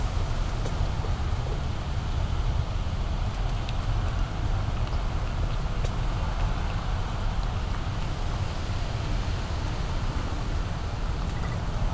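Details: Steady low rumbling noise with faint scattered knocks, possibly distant traffic, and no animal voice.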